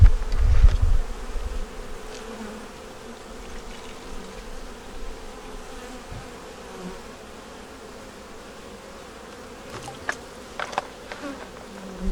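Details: Winter inspection of a honey bee nuc holding a yellow queen, eggs and brood; a loud rumbling thump at the start gives way to a quiet, continuous hive drone, with light clicks near ten seconds.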